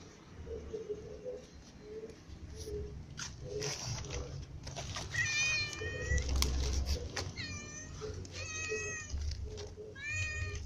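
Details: Several cats, including a white cat, a ginger cat and little cats, feeding together; drawn-out harmonic meows come repeatedly from several animals over a steady low hum and soft rhythmic clicking.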